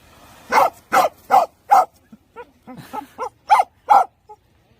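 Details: A pet dog gives a run of sharp, clipped barks, about four loud ones in quick succession, then softer muffled grunting yaps, then two more loud barks, in an otherwise quiet setting.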